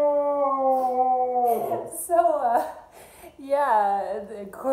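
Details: A Siberian Husky in Arizona howls in long, wavering tones that bend up and down, responding to steady accordion notes being played.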